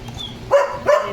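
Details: German Shepherd named Leo barking twice in quick succession, each bark short and forceful, with a faint high tone and low background hum beforehand.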